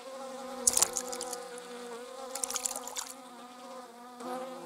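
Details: Bees and wasps, 26 July 2019, make a clear harmonic buzz. Bursts of crisp crackling clicks interrupt it near the start and again in the middle before the hum swells at the end.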